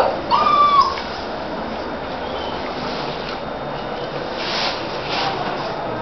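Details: Labrador and sheepdog cross puppies, shut in while the house is being cleaned, crying at the door: one short, high, thin whimper with a gently falling tone near the start, then steady background hiss with faint household noise.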